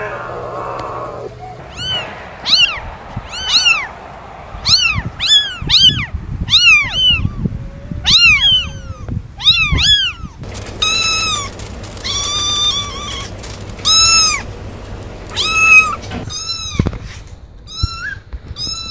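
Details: Domestic cat giving a long series of bright, arching meows in quick succession, some overlapping as if more than one cat calls, set against a steady low hum and a high hiss in the middle section.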